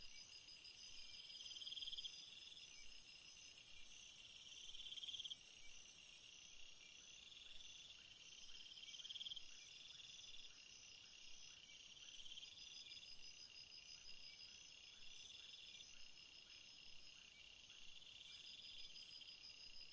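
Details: Crickets sing through the night in a constant high-pitched shimmering trill. Rhythmic chirp bursts come in slow waves, and the loud top layer cuts off abruptly after about six seconds, leaving a quieter pulsing chorus.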